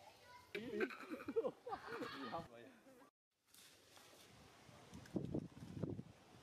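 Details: Monkey Milla crying out in pain after being bitten by a bigger monkey: a run of wavering, quavering cries over about two seconds, then a short silence and a low, scuffling background noise with a few louder thumps.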